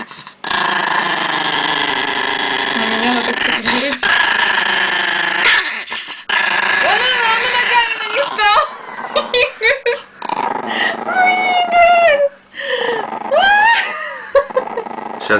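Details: Very angry Chihuahua growling at home over pancakes; a long rumbling growl with whiny, wavering tones rises and falls, broken by pauses and overlapped by people talking.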